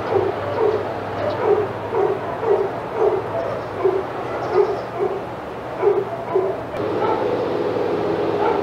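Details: Senior dogs in the outside yard at Old Friends Senior Dog Sanctuary go crazy as Titus passes: quick, repeated barks about twice a second for nearly seven seconds, then a steadier wash of yard noise with a low hum beneath.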